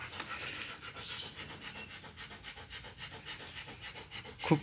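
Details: German Shepherd puppies being hand-reared and nursed by their mother; steady rhythmic panting breaths, quick and breathy, repeating about three times a second, ending with a sharp louder burst.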